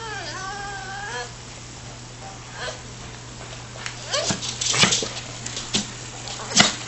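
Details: Dog excited about going for a walk: high, wavering whines with clear upper tones in the first second, then scattered short yelps and sharp noises while a person talks to it and tells it to sit.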